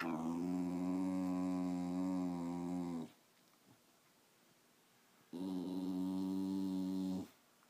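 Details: Two long, steady, droning growls of about three and two seconds come from Patsy, a 13-year-old female Wire Fox Terrier. A quiet gap lies between them.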